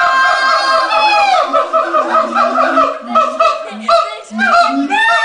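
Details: Captive siamangs at the LA Zoo, with the male leading, calling just before lunch time: loud, rising, whooping sweeps that climb steeply, followed by a run of wavering, barking notes at varied pitches.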